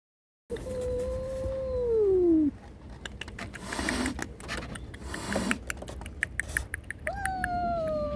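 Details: Domestic cat calling, said to be either a mother's angry warning to an intruder while guarding her kittens or kittens crying for their mother; one long drawn-out meow falling at the end, clicking and rustling, then a second rising wail.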